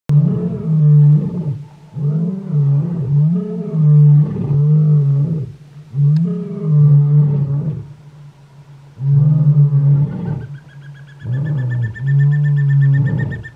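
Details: Lion roaring in the Kgalagadi (Kalahari), deep, drawn-out moaning bursts, each swelling and fading; lions roar mainly to proclaim territory and to locate pride members, audible miles away.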